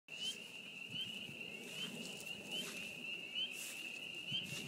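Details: Spring peepers calling in spring at a beaver pond: a dense chorus of high, shrill peeps merges into one steady ringing tone, with faint low rumble beneath.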